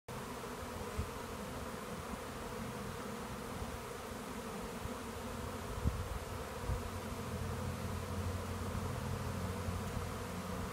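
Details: Honeybee swarm gathering into a swarm trap, bees bearding off it: a dense, continuous low droning buzz of many bees, steady in loudness throughout, with faint rustles and a brief knock near the middle.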